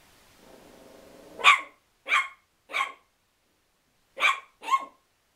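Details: Chihuahua angry at a towel: a low growl builds, then it breaks into five short, high-pitched barks in two bursts with brief pauses between.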